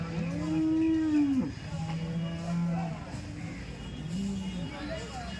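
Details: Cows at the Loni cattle market, described as top-quality dairy cows: a long, deep moo that rises slightly and then drops sharply, followed by a steady low moo and a shorter third one, with a man speaking in the background.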